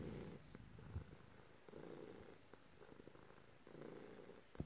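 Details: A pet cat purring as its owner strokes it; steady low rumbling purr in rhythmic bursts about every one and a half seconds, with occasional soft taps and rustles from handling.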